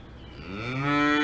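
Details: Cow on an Alpine farm starting a moo: a low, rising, harmonic bellow that grows steadily louder and is cut short while still sounding.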